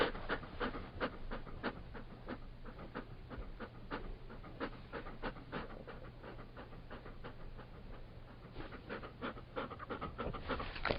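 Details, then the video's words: Labrador Retriever panting softly and steadily, quick airy breaths repeated about three times a second, quieter and more distant, over a low background hum. "Sonido de un Labrador Retriever"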